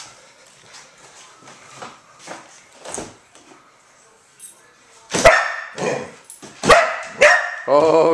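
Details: A 4-year-old female Border Collie, after faint scuffles and a person's voice, breaks into loud, harsh, rough-edged barks every half second to second at flickers of light and shadows made by a refrigerator door opening and closing.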